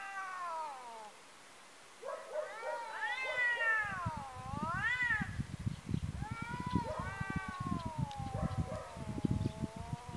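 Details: Two domestic cats in a fight, a neighbour's cat meeting its rival outdoors: loud drawn-out caterwauling yowls swooping up and down in pitch, repeated and overlapping, over constant rough rustling and scuffling noise.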